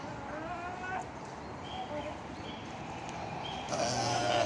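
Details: Goats chilling and playing together; a few short harmonic bleats rise out of steady broadband background noise, with a louder bleat near the end.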